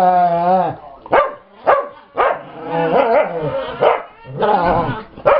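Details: Pet dog Brittany growls while play-chasing another dog, Chase, with Gypsy joining in: a drawn-out harmonic grumble opens, followed by sharp broadband yips and barks about every half second, with low rumbling growls between them.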